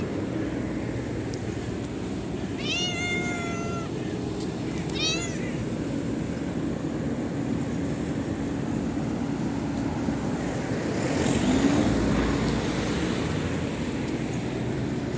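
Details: Cute stray cats greeting the morning: two clear meows, the first drawn out for about a second with a slight falling end, the second shorter and rising-falling, over a steady low rumble like engine or traffic noise.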